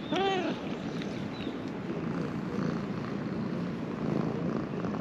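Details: Stray ginger cat in Japan, affectionate, just woken up: a short downward meow with stacked harmonics right at the start, then only a steady low rumbling background for the rest.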